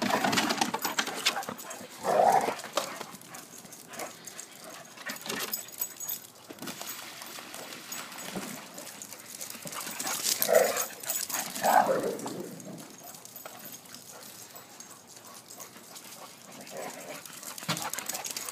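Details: Three dogs at play, two Pit Bulls aged 3 and 4 and a 10-year-old Wheaton Terrier, on and around a backyard pool cover; a few short whining vocal bursts at separate moments, amid steady scuffling and crinkling noise.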